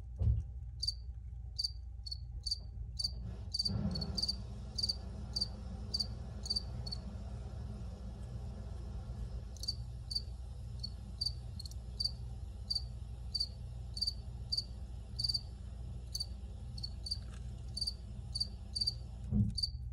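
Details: Cricket chirping, recorded in the field: bright, high pulsed chirps repeated about twice a second, pausing for a few seconds midway, with a soft knock near the start and a constant low droning hum beneath.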